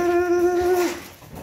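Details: Beagle named Will (うぃるさん) indoors, excited as his beloved mom comes home; a loud, steady, tonal whine held for about a second, dropping slightly in pitch at the end, followed by a quiet room.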